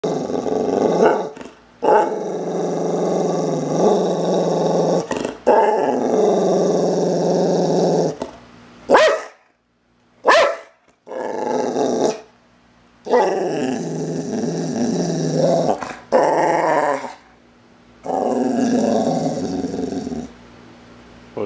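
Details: Full-blooded male American boxer growling while playing: long rough, rumbling growls in sustained bursts of several seconds, broken by brief pauses and a few short sharp gaps, with no other clear sounds.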